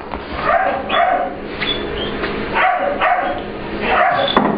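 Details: English Bulldog/Pit Bull puppy Ester at playtime with visiting dog Layla in a work grooming room, guarding it as her own. Repeated sharp barks and yips arrive about every half second to a second, over a steady room hum.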